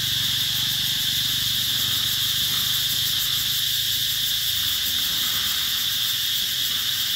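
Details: Massed cicadas at the Mỹ Luôn eco-tourism site in summer 2021, a relentless shrill buzzing drone holding level across seven seconds, with a faint low hum in the background.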